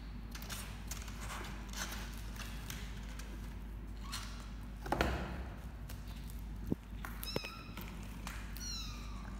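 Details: Four 29-day-old kittens, litter of the formerly stray mother cat Laki in Cambodia, playing together; short high kitten meows with stacked harmonics near the end, over rustling, thumps and scuffling of play.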